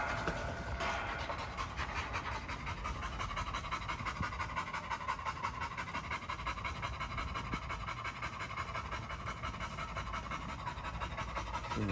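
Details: Great Dane panting in quick, steady breaths, close to three per second, each exhale a soft breathy rasp spread across the upper range, with a faint hum underneath throughout.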